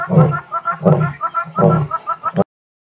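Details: Male lion known as Nwaswitshaka or Ndhzenga, recorded 18 March 2024, giving a run of deep, throaty grunting pulses roughly every 0.7 seconds, with fainter tonal sounds between the bursts before it cuts off.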